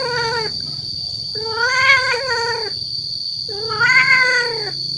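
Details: Male domestic cat giving a mating call to attract females: long, wavering, harmonic yowls about a second each, rising then falling, repeated three times with short pauses, over a steady high-pitched electronic whine.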